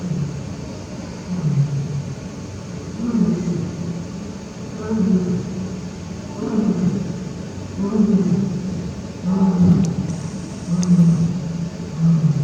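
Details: Male lion Barry at Tobe Zoo, Japan, 5 October 2021, calling toward the backyard for his absent partner Daisy; deep grunting roars rise and fall in bouts roughly every one to two seconds, with a faint hum behind.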